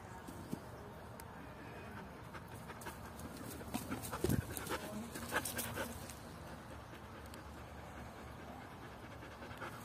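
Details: Eleven-month-old Belgian Shepherd puppy Luna, full of energy while fetching a boot, pants quickly and unevenly, about two breaths a second, with a thump midway and rustling movement in open outdoor surroundings.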